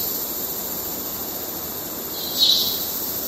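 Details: Cicada males calling to court in Kerala: a continuous shrill buzzing hiss holds steady, with one louder, brighter swell late in the clip.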